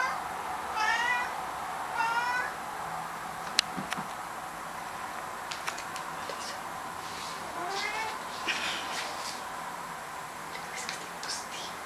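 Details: A cat chasing something indoors gives short rapid trilling chirps in quick bursts, then scattered clicks and taps, with a faint low drawn-out meow midway and more chattering chirps near the end over a steady hiss.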